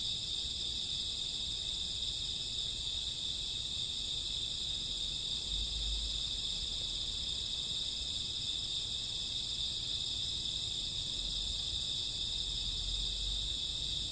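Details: Summer and autumn night crickets at midnight, an endless high ringing chorus of stacked trills, steady and unbroken, with occasional soft low rumbles in the background.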